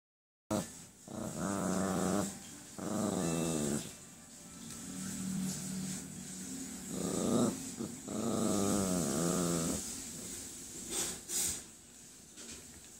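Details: A Yorkshire terrier wanting to play gives a series of drawn-out, rumbling growls in a small indoor room.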